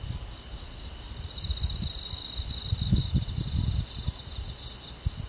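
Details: Crickets on a summer night in a rural forest setting: a steady, high, pulsing trill holds one pitch throughout, over low rumbling wind-like noise that swells in the middle.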